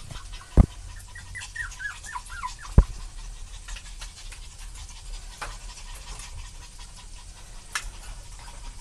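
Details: An adult parent Chihuahua gives a quick run of thin, high, falling whines between a couple of sharp knocks.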